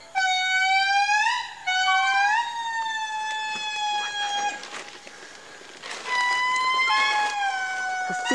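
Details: Indri in Madagascar's forest gives loud, wailing, siren-like notes that rise then glide down with rich overtones; the far-carrying song, heard for miles, proclaims the group's territory, and neighbouring groups answer.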